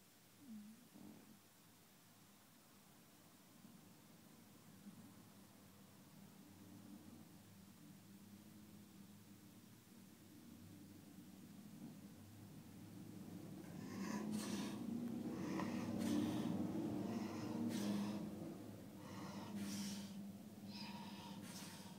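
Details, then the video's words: French Bulldog in restless sleep, snoring with a low steady rumbling drone, growing louder in the second half with snorting, breathy bursts and rustling movement. "Restless sleep II"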